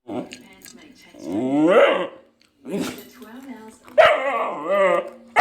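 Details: Jett, a male Vizsla puppy in his first few weeks, gives two drawn-out, wavering whines that rise and then fall, separated by a short pause, with a person talking softly in between.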